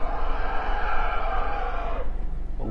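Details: An angry, enraged African elephant in Kruger National Park, South Africa, gives a loud, sustained, harsh call lasting about two seconds.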